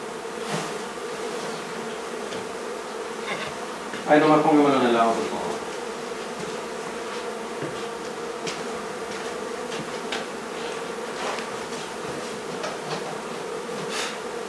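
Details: Steady hum of a honey bee hive being taken out of a barn in La Feria, Texas, a continuous even drone, with a brief burst of human voice about a third of the way in.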